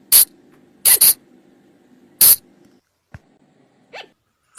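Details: Flying lemur calling, a sound for luring them after dark: a few loud, crisp bursts, one doubled, then softer falling notes, with a low hum fading out partway.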